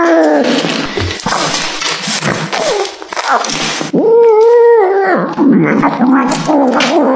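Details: Cat eating beef liver, making loud, drawn-out growling meows and whining calls, one long wavering call mid-clip, amid continuous chewing and handling noise close to the recorder.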